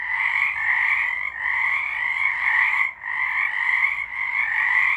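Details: Frogs calling en masse in March 2023: steady overlapping buzzy trills forming a constant two-toned drone, with short dips in volume around one and three seconds.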